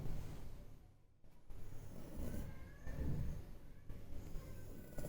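A French Bulldog snoring loudly, a deep rumbling rasp that swells and fades with each breath.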